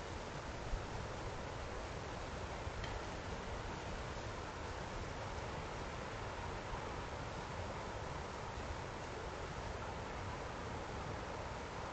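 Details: Steady broadband rushing noise like wind and rustling leaves fills the whole stretch, with no animal call.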